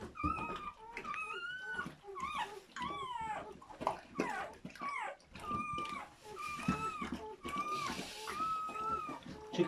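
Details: Newborn German Shepherd puppies from a litter of seven, just delivered during their mother's labour: many overlapping high, wavering whines and squeals, each bending up and down in pitch, crowding one after another with barely a pause.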